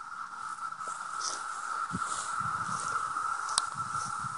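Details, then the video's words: Large emergence of 17-year cicadas flying around a rural home near Madison, a mating pair on the grass; one continuous buzzing drone at a fixed pitch fills the air, with faint rustling and a sharp click. "17-Year Cicadas, a lot of them"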